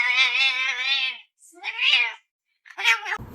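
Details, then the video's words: Domestic cat giving a long drawn-out meow with rich harmonics for about a second, then two shorter rising-falling meows after brief pauses, in a quiet indoor room. "Cute Meows | Cat Sounds"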